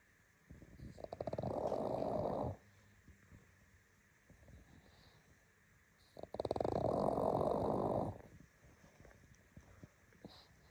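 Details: Bubble the pug snoring while asleep: two long, rasping, pulsing snore breaths of about two seconds each, roughly four seconds apart, with near silence and soft snuffles in between.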